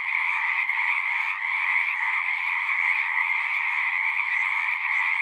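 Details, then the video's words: Chorus of many frogs at a horse-pasture pond, captured with a Zoom recorder: continuous high trilling voices layered thickly together, steady in loudness throughout, no birds or people audible. "Frogs singing"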